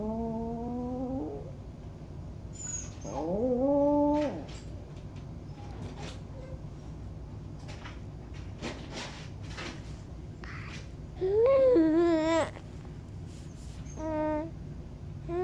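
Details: Maltese dog howling: drawn-out, wavering, nasal howls, each one to two seconds long, sliding up then down in pitch, with a long quiet gap between the first few and a later loud, quavering howl followed by shorter ones.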